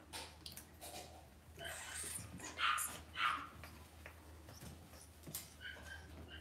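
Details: Cavalier King Charles Spaniel puppies raised indoors in a home puppy pen; two sharp high yelps about half a second apart, with scattered softer whimpers, rustling and faint voices in the room.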